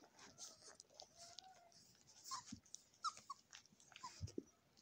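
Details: Nursing Golden Retriever puppies feeding from their mother indoors; brief high squeaks and thin whimpers come in short bursts over soft wet suckling and shuffling noises.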